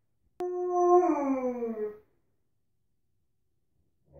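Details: A single falling howl from Tonka, an Alaskan Malamute in the bathroom: it starts pure and steady, then bends downward and fades after about a second and a half, with quiet afterwards.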